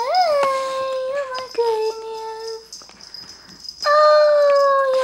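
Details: Puppies giving drawn-out tonal whines and howl-like cries, a long falling wail followed by a pause, then a second sustained cry with clear harmonics; a person calls to them afterward.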